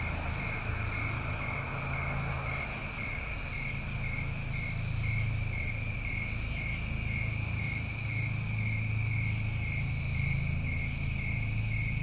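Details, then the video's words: New England summertime crickets in a dense chorus: steady, unbroken high-pitched trilling in several stacked layers, with faint pulsing at the top and a low rumbling background hum throughout. "Tinnitus Masking With Crickets"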